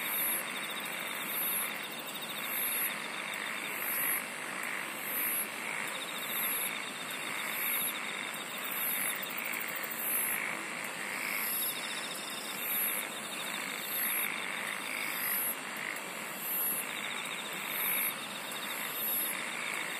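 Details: Insect song in a dense chorus, with rapid shrill high buzzes pulsing nearly every second and a sustained metallic trill. Many overlapping lower pulsing calls sit on a constant hissing background.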